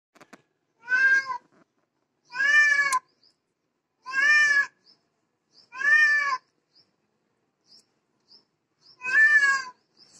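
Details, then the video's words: Domestic cat crying with a series of five loud, drawn-out harmonic meows, each lasting about half a second and spaced roughly every one and a half to two seconds, with small faint clicks between calls. "cat seeing other cat crying"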